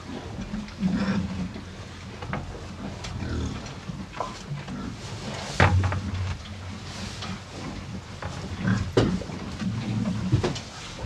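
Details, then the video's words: Pair of cows munching hay on a farm, giving dense crackling, rustling chewing noises with sharp snaps of stalks, over a low breathy rumble that swells now and then. "TWO CUTE COW EAT HAY!"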